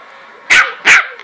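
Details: Maddie, an 8-week-old West Highland White Terrier puppy, gives two sharp, high-pitched barks in quick succession.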